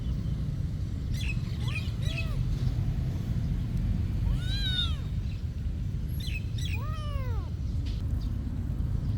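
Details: Soft mew followed by two clearer arched meows from a cat at a monastery, mixed with a few thin bird chirps and a constant low rumble.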